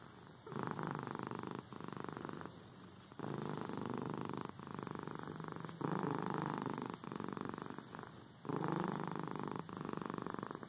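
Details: Domestic cat purring steadily indoors, a low rumbling purr in long phases of about a second each, broken by brief pauses as the cat breathes, repeated through the clip with no other clear sounds.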